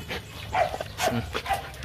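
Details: Playful Rottweiler from the Gervi kennel, Nina or Nano, young dogs still growing: quick breathy pants with a slight vocal edge, spaced roughly every half second, a low hum underneath.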